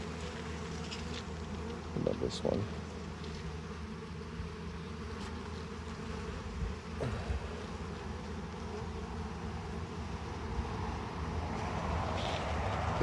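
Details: Honey bees buzzing steadily at an open hive while it is harvested and expanded, a continuous low drone with brief louder swells, accompanied by handling knocks and occasional human voices nearby.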